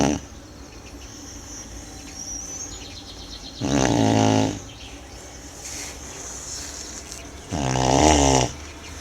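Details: Sleeping Tibetan Mastiff named Manjurhi snoring: two deep, rattling snores about four seconds apart, each lasting close to a second, with quiet breathing and faint background hiss between them.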